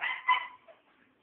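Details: Pet dog giving a single short, bright yip that fades quickly into quiet.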